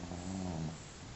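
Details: Sleeping pet dog snoring, one drawn-out low rumbling breath with a steady buzzy tone that swells and fades over about a second.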